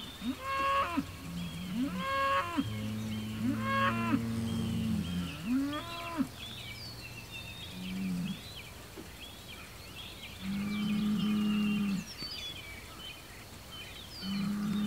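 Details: Hereford bull named Homebrew challenging a nearby Hereford bull and an Angus bull less than 100 yards away across a road. A string of bellows, some short and rising, others long and flat, with gaps between; small birds twitter in the background.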